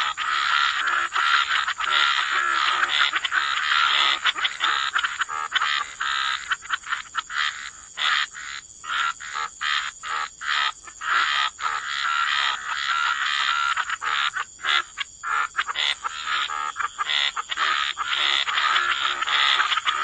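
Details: Wetland frogs croaking in a gentle chorus beside the water: dense overlapping rasping croaks, thinning midway into quick separate pulses before swelling back into a continuous throbbing chorus, with a constant high hiss above.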